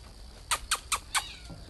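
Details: Cat in a garden, recorded 08 06 2020: four short, bright, high mews in quick succession, each under a tenth of a second and roughly 0.2 seconds apart, over a low background hum.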